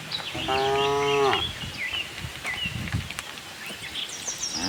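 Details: Herd of tame cows roaming a farm looking for grass; a single moo about one second long at the start, followed by scattered bird chirps and rustling.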